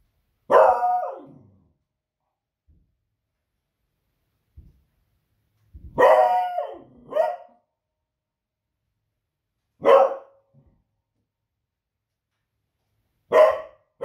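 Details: Pet female Beagle barking at noisy fireworks one Friday evening, raising the alarm: five sharp, ringing barks spread over fourteen seconds, one a quick double, separated by silence with faint soft knocks.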